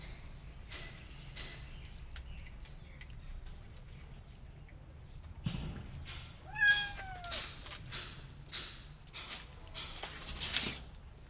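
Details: Squabble over food between a mother cat and her kitten: after quiet rustling, one clear drawn-out meow with strong harmonics that slides gently downward, followed by scuffling thumps and clicks.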